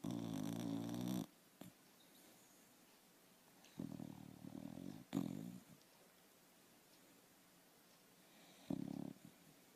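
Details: A dog snores in its sleep, giving raspy, droning breaths of about one to two seconds. Three main snores are spaced unevenly, and a shorter snort comes near the end in a quiet room.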